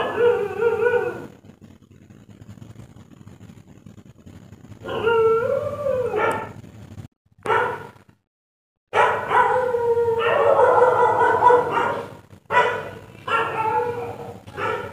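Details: A dog barks at night in long, harmonic yowls and howl-like barks that sound like crying, some held a second or more and sliding in pitch, with brief silent gaps between bursts and no other sounds standing out.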